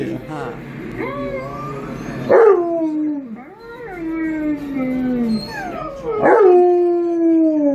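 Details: Tonka, an Alaskan Malamute, howls along with dogs on a screen indoors: two long howls, each opening with a sharp rising yelp, then sliding slowly downward and trailing off, with faint voices underneath.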